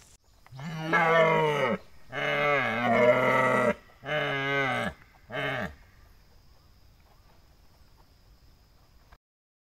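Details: A red deer stag at a ranch in Iwate, Japan, roars during the rut in a series of long, deep, harmonically rich bellows.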